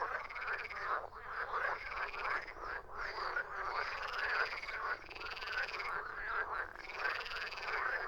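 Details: Frogs croaking in a dense overlapping chorus, harsh rattling croaks packed closely together with brief dips, a continuous loud wall of calls with no other sounds standing out.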